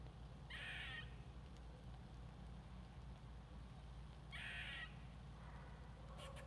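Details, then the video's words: Squirrel giving two hoarse, buzzy calls about four seconds apart, each a rough half-second burst, over a constant low droning hum. "Squirrel Talking"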